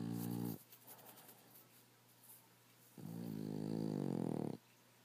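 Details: Sleeping rescue Boston Terrier and French Bulldog cross snoring heavily indoors, one snore ending, a quiet gap, then a long rasping, buzzy inhaled snore lasting about one and a half seconds.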